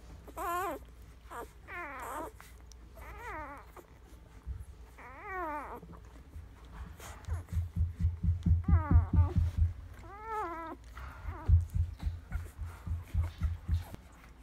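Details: Several nursing puppies squeak and whine in quavering, warbling bursts, then rhythmic low soft thumps pulse about twice a second beneath the whimpers, in a small indoor space.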